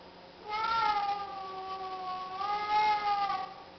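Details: Siamese cats being vocal at feeding time, with two long, drawn-out meows, each sliding down and then gently back up.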